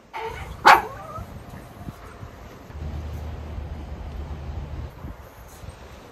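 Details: Two Miniature Schnauzer brothers, excited and eager while a fence goes up around their new play area on Jun 7, 2022, give a single sharp bark near the start, followed by steady low machinery rumble and outdoor noise.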